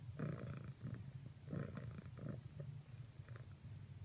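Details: A female cat purrs while pressing to cuddle with another cat; a deep, throaty purr rises in two strong breath cycles, then fades into a quieter rumble.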